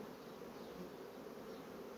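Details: Continuous drone from honey bee colonies that build comb quickly on foundation, an even mid-pitched hum with slight swells in loudness and no other clear sounds.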